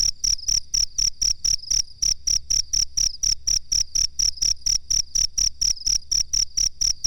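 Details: Chirping cricket for bird-song mastering: piercing high tone broken into quick, evenly spaced pulses, close to four per second, around twenty-seven in all, over a quiet low hum.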